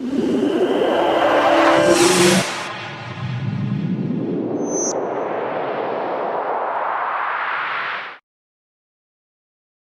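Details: A whooshing sound-effect sweep with a noisy burst and a rising rush, with no animal voice.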